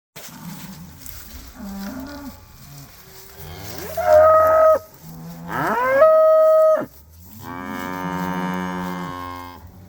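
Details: Cattle on a winter pasture mooing: a low rumbling moo, then two louder, drawn-out bellows around four and six seconds with steady tonal overtones, and a final long, fading moo.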